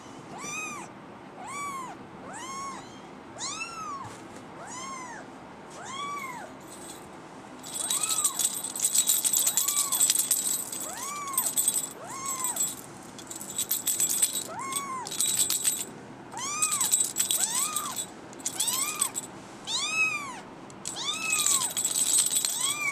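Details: Young female brown tabby and white kitten, born December 24, 2010, mewing over and over in short arched cries, about four a second at first, later mixed with bursts of high rustling and clicking noise.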